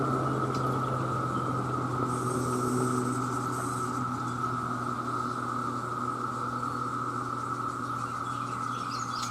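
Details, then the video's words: Male cicadas in their millions call for mates, their continuous even buzzing drone filling the air beneath a low steady hum, with a faint high whistle now and then. "The Sound of The Cicada"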